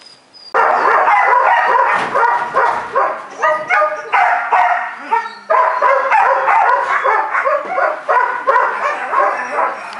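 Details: Belgian Malinois puppy, four months old, barking in quick, irregular bursts of high yips and yelps that run almost without pause from half a second in.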